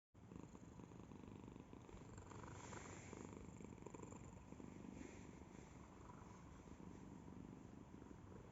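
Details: Domestic cat purring close up, a steady low rumbling throb with rapid even pulses that run unbroken for the whole stretch after a brief silent start.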